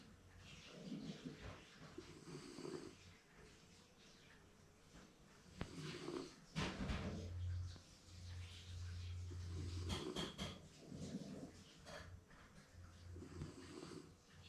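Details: Napping Shiba Inu at home, snoring contentedly as if dreaming; low, rumbling breaths rise and fall every couple of seconds in a steady, throaty rhythm, with a brief sharp rustle in the middle.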